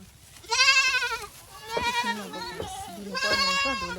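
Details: Goat at a Nepali village Boer goat farm bleats repeatedly, with three wavering cries in four seconds and low murmuring voices underneath.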